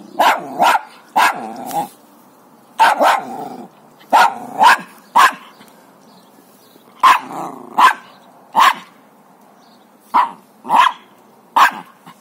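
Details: Jack Russell Terrier, a small dog with a big bone, barking in quick pairs and triplets, sharp and mid-pitched, bursts separated by short pauses over about twelve seconds.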